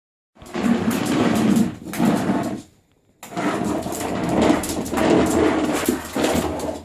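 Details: Female Welsh Corgi puppy in a kitchen, wanting a sock from the laundry basket that she cannot reach, makes two long, rough, strained whining-howling bursts separated by a short silent pause.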